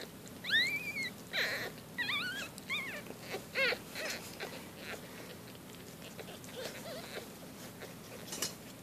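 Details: Four-day-old Shih Tzu-Bichon puppies giving a few thin, rising-and-falling squeaks in the first four seconds, then quieter rustling and shuffling in a small indoor space.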